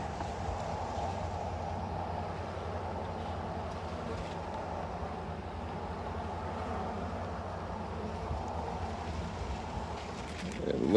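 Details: Honey bees at a hive being harvested and expanded, a dense, steady low droning hum of many insects holding without pause throughout, with a brief clattering knock of equipment near the end.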